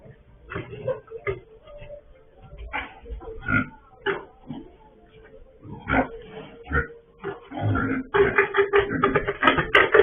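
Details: Surveillance camera on a pig farm catches a sow that broke out again: scattered short, rasping grunts with long pauses, then a steady run of rapid, louder grunting in the final two seconds.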